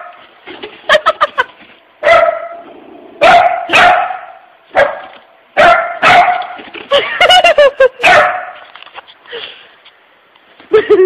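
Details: Puppy named Pooper barking and yipping indoors at a puppy-shaped empty tissue holder; a run of sharp barks and yelps in quick bursts, some with rising whiny tails, with a person's voice talking over parts.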